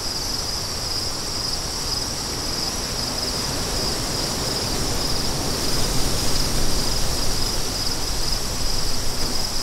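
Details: Several crickets give a bright, thin pulsing trill at a steady pitch while gusting wind grows louder and deeper in the second half.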